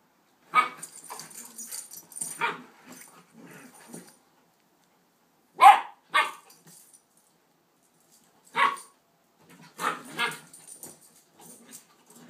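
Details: Two puppy sisters playing, a one-year-old Rhodesian and an eight-week Shepherd/Rott pup: scattered barks and grumbling yips in uneven bursts, several loud single barks separated by pauses of two to three seconds, indoors.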